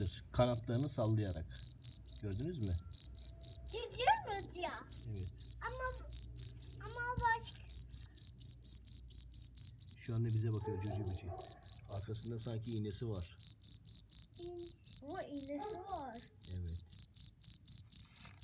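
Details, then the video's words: Cricket chirping loudly, a high, pure pulsed chirp repeated steadily about three to four times per second throughout, with a child's and adults' speech heard intermittently over it. "CIRCIR BÖCEĞİ'nin sesi neresinden çıkıyor?"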